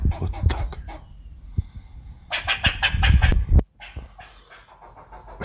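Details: Squirrel letting out a loud burst of rapid, harsh, chattering pulses in the middle, preceded by scattered clicks and accompanied by thumping handling noises, with softer clicks after.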